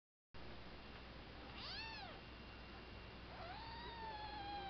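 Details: Three-month-old kitten meowing twice: a short arched, harmonic mew near two seconds, then a longer meow that rises and holds a slowly falling tone for over a second, over steady low background hiss.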